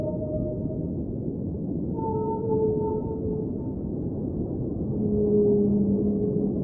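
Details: A whale sings underwater: a series of long, smooth tonal notes stepping between higher and lower pitches, some stacked with overtones, set against a continuous murmur of deep water noise.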